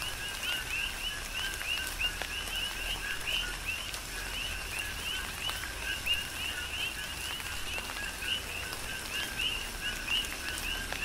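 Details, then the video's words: Rhythmic coqui chorus recorded on the Big Island, Hawaii, during tropical rain: many overlapping high chirps repeating without pause, backed by steady rainfall hiss and scattered drop hits. "Tropical Rain & Coqui"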